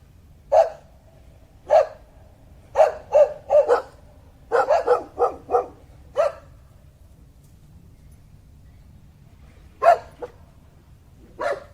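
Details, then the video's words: A dog barks in short sharp bursts, single barks and quick runs of two or three, with pauses between; a steady low hum runs underneath throughout. "som de cachorro"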